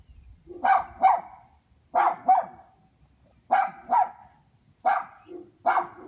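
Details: Neighborhood dogs on a chain lock at their dog house, barking in repeated doubled bursts, two quick barks per volley, spaced roughly a second and a half apart.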